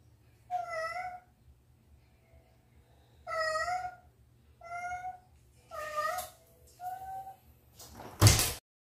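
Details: Domestic cat meowing indoors: five clear, tonal meows, each about half a second long with a slight rise and fall, spaced one to two seconds apart, followed by a sharp thunk near the end.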